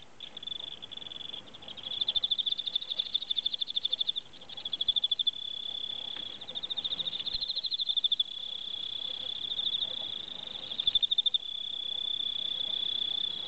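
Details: Kept Japanese Emma field crickets, Teleogryllus emma, calling: high, pure trilled chirps in rapid pulsed bursts of a few seconds each, nearly continuous with brief gaps, in a quiet room.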